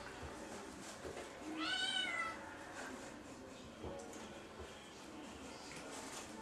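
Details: Kitten in a shower, playing and eating a tissue; one short rising-falling meow near the middle, with faint indoor room noise and water-like hiss.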